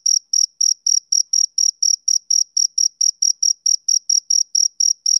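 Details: Summer-evening chirping of a male cricket: clean, piercing pulses, some twenty in quick succession, evenly spaced at about four a second, with nothing else audible.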